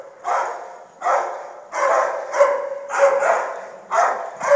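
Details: Dog barks, rough and full, come in a loose series about once a second, some running into each other, with a faint steady hiss behind.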